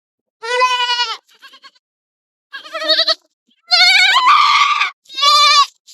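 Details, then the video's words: Goats out in forest and field, bleating in several harmonic-rich, wavering calls of about a second each, with quieter short bleats between the louder ones. "Collection Beautiful Goats and Sounds Goats"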